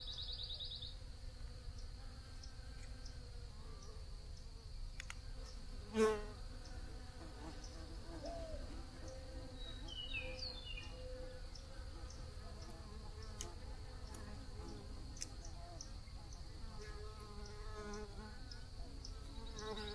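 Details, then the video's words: Bees buzzing softly in a low, droning hum that wavers in pitch. A steady high-pitched whine runs throughout, with one brief loud knock near the sixth second and a few faint chirps. "Bee Buzzing Sounds for Your Best Focus"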